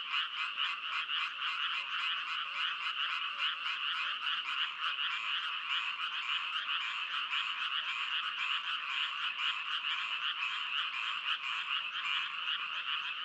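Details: Continuous frog chorus of many croaking voices, fast regular pulsing throughout, a bright buzzy band of sound with steady loudness and no other noises.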